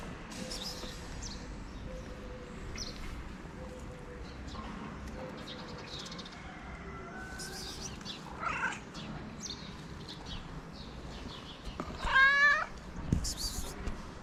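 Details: Friendly stray cat in Morocco, fed daily on the street, meowing to say she is hungry; a faint, harmonic meow near the end, rising then falling, over quiet outdoor background with scattered clicks and rustles.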